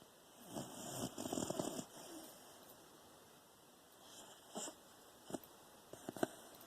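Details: Guimauve the Beagle asleep with tongue out and eyes open, September 15, 2020; soft wheezy snoring breaths in uneven bursts, several close together early and short sharp snorts near the end over steady room hiss.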